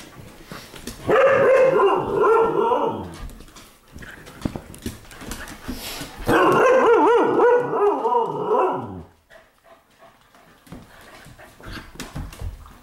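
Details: Pet dogs playing together in a living room at night, recorded 15 May 2014; two long, loud, harmonic growling howls of about two to three seconds each, separated by a pause filled with scuffling and thumps.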